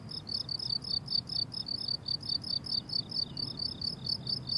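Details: Crickets on a blooming summer meadow, a rhythmic chorus of short pulsed chirps repeated about twice a second, high and bright, with a faint low rumble of background noise beneath.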